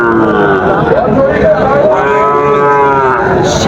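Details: Sahiwal bull calves for sale at Raniganj cattle market, Dinajpur, on 30 September 2024: wavering, nasal, mid-pitched bawls with rising and falling tones over a loud crowd and market chatter.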